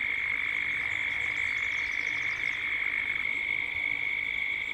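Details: At dusk in Gippsland, Australia, cicadas call together in a steady, high, shimmering drone that barely wavers, with birds also present as the sounds build toward dusk.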